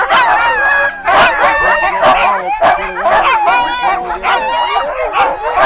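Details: Excited sled dogs waiting to pull a sled through the woods at Gunflint Lodge, 2012: a loud massed din of sharp barks, high yips and wavering howls, many animals calling over one another without a break.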